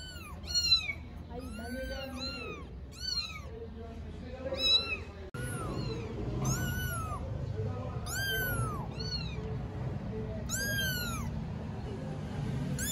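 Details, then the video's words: Chorus of 4-week-old kittens, three strays in Istanbul, meowing simultaneously; clustered high arched cries then a sudden cut and louder steady background noise as meowing continues with drooping, longer calls. "Kittens meow and talk - All talking at the same time"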